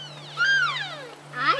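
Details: Wintering elk at the Oak Creek wildlife area feeding station in Washington give a high, whistled mew that sweeps downward with a brief steady hum beneath it, followed by a shorter rising-then-falling squeal at the end.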